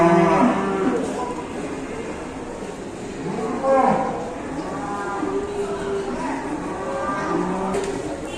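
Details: ['Indonesian ploughing cattle misbehaving during a ploughing round; several low, drawn-out moos with rich overtones, one at the start and others at about four and six seconds, over a murmur of voices.']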